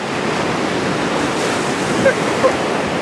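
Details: Constant rushing surf and wind noise on a beach, with no clear animal call.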